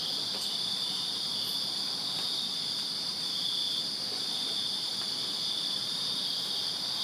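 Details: Summer-night backyard chorus of crickets in Virginia, many insects overlapping into one unbroken shrill, high-pitched drone that holds level throughout, over low outdoor ambient noise.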